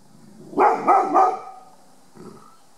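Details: On guard in a back yard in July 2018, Ruby, a 36 kg five-year-old Rhodesian ridgeback female, lets out three rapid, deep barks in quick succession, then one faint, short sound after a pause.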